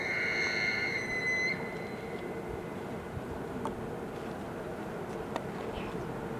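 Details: An elk bugles in Jasper National Park on 21 September 2019: a high, pure whistled note that holds steady, then trails off into quiet background.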